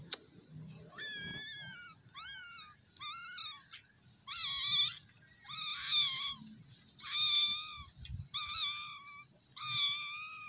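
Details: Scared, hungry cat meowing insistently: about eight drawn-out, harmonic-rich meows roughly every second, each rising then falling, some short and some stretched, over a quiet background with faint low rumble.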